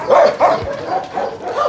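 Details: Two sharp barks in quick succession at a husky kennel, followed by fainter overlapping dog voices fading into the background.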